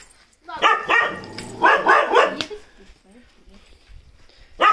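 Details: Chippiparai puppy, 45 days old and described as aggressive. It gives bursts of high, harsh yapping barks in quick clusters, a pause with faint rustling, then one more yap at the end.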